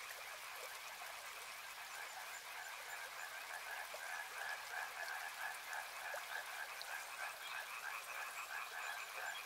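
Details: Frogs calling together by a river: layered rapid croaking trills blending into an unbroken chorus, over a constant bright wash of flowing water.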